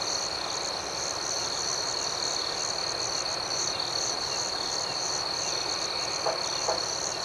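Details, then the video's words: Night chorus of crickets: unbroken high shrill trill with a faster pulsing layer above, set in a broader wash of rushing background noise, with two faint clicks near the end. "Soothing Cricket Sounds"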